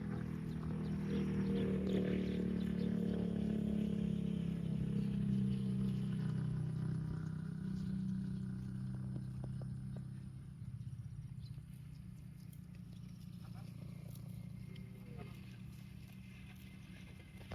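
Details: Grazing in a park, a cow lets out a long, low moo with a slightly wavering pitch. The call holds for about ten seconds, then fades, leaving a low outdoor rumble.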